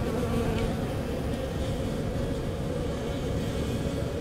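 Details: Honey bees in St. John's, Newfoundland, reacting to an unusually warm March day, the first warm day of the year, reaching 13°C; a dense, continuous low hum of many buzzing wings, steady throughout without breaks.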